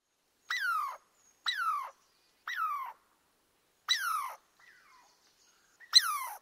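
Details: Squirrel in forest surroundings giving five separate squealing calls, each a sharp, harmonic-rich note sliding steeply downward, spaced roughly a second apart with a short faint murmur between the later ones; otherwise quiet background.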